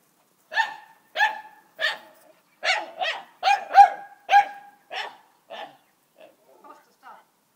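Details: Dogs barking during play in an indoor setting: a steady series of about nine sharp, ringing barks roughly every half second, fading into softer yips at the close.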